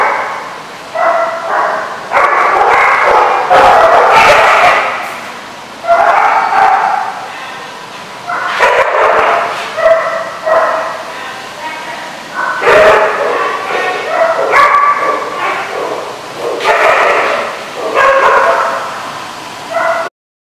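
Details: Repeated dog barks come in loud clustered bursts of rough, ringing yaps separated by brief quiet gaps, continuing for about twenty seconds over a constant low hiss.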